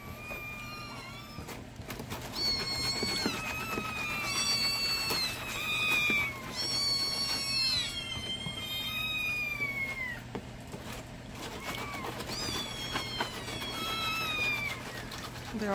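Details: Hungry kittens meowing indoors at morning milk time, waiting to be fed: many overlapping high, wavering meows, some rising then falling, calling over each other almost continuously, while a woman talks to them and mixes the milk.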